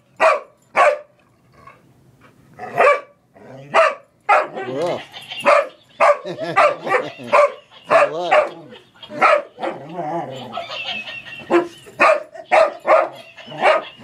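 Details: Boomer, an English Springer Spaniel, plays with a laughing toy monkey. Bursts of sharp barks are broken up by a stretch of wavering, laughter-like toy sounds and voices.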